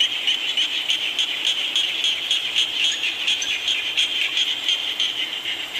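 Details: Frogs and small frogs calling during rain, a shrill pulsing chorus with clicks and chirps stacked irregularly, several callers overlapping, steady background hiss throughout.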